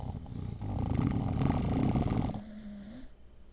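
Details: A puppy getting her sleep lets out a sustained rough, buzzing snore for about two seconds, ending in a brief thin whine-like tone before fading to quiet.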